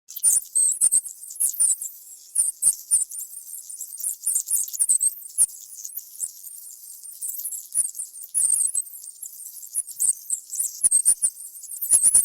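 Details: Mice with light steps, gnawing and small squeaks. Very high, thin chirping squeaks come in quick clustered bursts, interrupted by sharp clicking taps and patter throughout.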